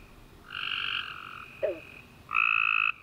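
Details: Tree frogs calling at night after a warm rainy summer day: two steady trilled notes with bright bands, one around half a second, another near the end, with a brief lower chirp between them.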